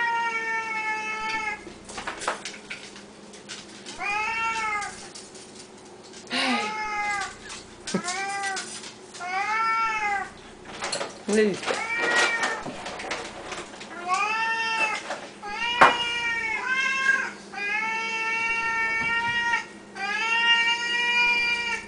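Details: Several Siamese cats demanding food at feeding time, Samuel the loudest: a long run of rising-and-falling meows, roughly one every second or two, mixed with clinks of dishes and kitchen noise.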